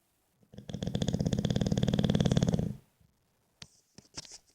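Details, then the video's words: English Bulldog sleeping and snoring indoors: one long, rattling, low snore of about two seconds with a dense pulsed texture, followed by a few faint clicks and small noises. "Bulldog inglés, roncando"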